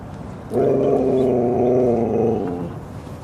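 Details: One of two dogs, Rosy and Rocky, at Seal Point Dog Park on the western side of San Francisco Bay, December 7, 2015. It gives a sustained, droning, harmonic growl-like vocalisation lasting about two seconds, steady and then fading, over soft background noise.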